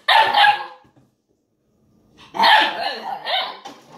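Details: Eight-week-old Ibizan Hound puppy playing with a milk jug indoors; two short bursts of sharp, high barking about two seconds apart, the second run of yaps longer and broken, with quiet gaps between.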